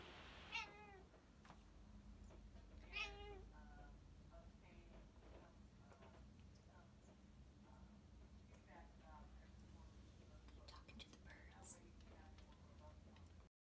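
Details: Female Bombay cat at a window, chatting to birds she sees outside: quiet, short chirps and trilled chatters come at irregular intervals, with low indoor hum and faint background voices throughout.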